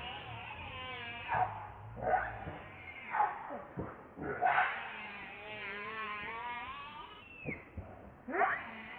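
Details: Baby monkey Leo, hungry and crying to beg his mother for milk: repeated wavering, whiny cries with layered harmonics, some rising and falling, broken by short sharp squeals about every second.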